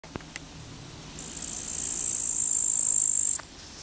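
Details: A grasshopper by the Zawady embankment on the Vistula on 15 August 2021 gives a high, hissing buzz that runs steadily for about two seconds, then stops abruptly.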